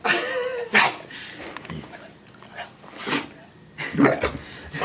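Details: Female rescue dog sneezing non-stop with happiness indoors while being dressed warmly for a walk in cold weather: sharp short sneezes and snorts at irregular intervals, one after a whining whimper, with a woman's voice nearby.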